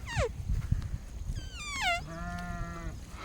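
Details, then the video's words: Goats in the early morning at a rural farm, several short falling bleats then a longer steady lower bleat, over rumbling wind and handling noise with a man speaking in Telugu nearby. "EARLY MORNING GOAT LIFE"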